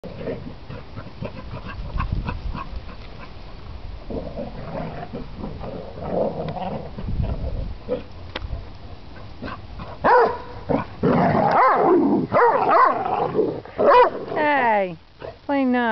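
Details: Two basset hounds playing roughly, though they get along well, give loud, throaty barking yowls that end in long, falling, wavering howls.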